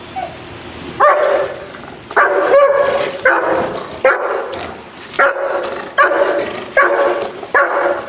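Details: Dog undergoing protection training, barking in a regular string of deep, rough barks about every 0.8 seconds after a short quiet start, each bark held briefly with occasional sharp clicks between.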